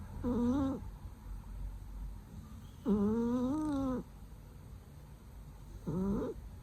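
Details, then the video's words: Cat snoring loudly while asleep: three droning, harmonic breaths, the middle one longest at about a second, with quiet pauses of roughly two seconds between them. "So loudly her snore！！！！！"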